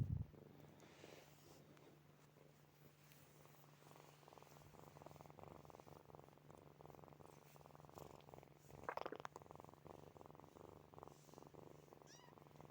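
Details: Kittens Snowy, Furry and Zoe asleep, purring and snoring: quiet, even rumbling pulses through the clip, a short higher squeak-like sound around nine seconds, low background hum.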